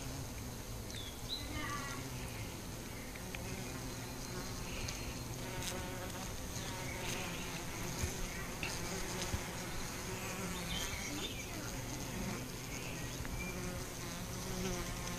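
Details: Honey bees from a colony affected by chronic bee paralysis, a dense steady low buzzing hum of many insects with layered tones, faint bird chirps above throughout.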